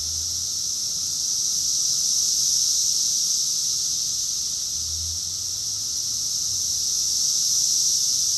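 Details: Summer cicadas singing together in Rockville, Maryland, USA, June 2021, forming a continuous shrill hissing buzz with gentle rises in loudness; faint low rumbles appear briefly in the background.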